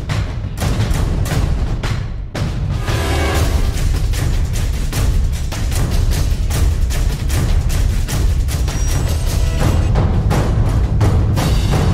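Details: Loud dramatic soundtrack music, pounding timpani and deep booming drum hits, fills the whole stretch without any animal voice.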